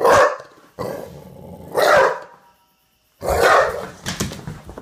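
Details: A male Olde English Bulldogge, revved up while playing and rarely a barker, gives loud, husky barks in short bursts a second or two apart, with a lower rumbling grumble beneath.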